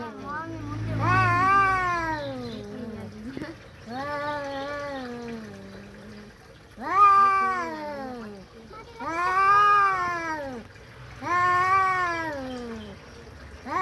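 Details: Domestic cats in a fight give drawn-out, arching yowls in a series about every two seconds, loud and tonal, with a faint low murmur of speech early on.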